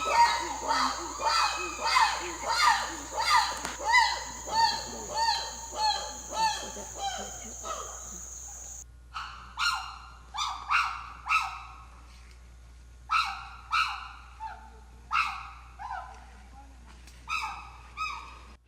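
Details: Habituated chimpanzees at an African island sanctuary, free-roaming by day, call loudly in a rapid series of harsh, rising hoots and shrieks, about one each second; chimpanzee.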